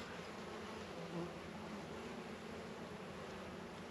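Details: Honey bees working around Warre and Langstroth hives in a northern Kentucky apiary on a 72-degree February day: a steady, even low hum of many wings with a brief slightly louder swell near the middle.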